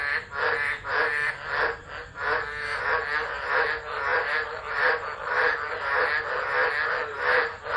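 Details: Chorus of tropical frogs singing through a tropical low at Driver, Northern Territory, Australia, December 2013, phone recording; overlapping harsh pulsed calls with loud surges roughly every second.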